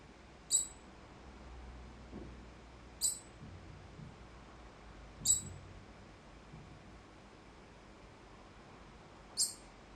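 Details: Alarm calls of a degu that started calling all at once, with no obvious threat: short, piercing high chirps repeated roughly every two to three seconds, four in all, with faint low room rumble between them.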